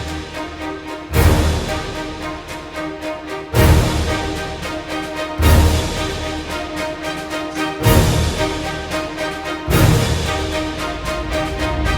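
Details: Upbeat theme music plays throughout, driven by a heavy drum hit roughly every two seconds.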